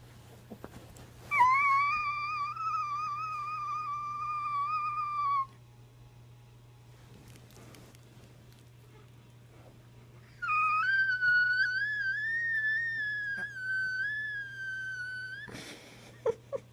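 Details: A Chihuahua confused by a strange noise gives two long whining tones, each lasting about four seconds, held fairly steady with a slight waver, the second starting with a short rise, separated by a quiet gap over a constant low hum.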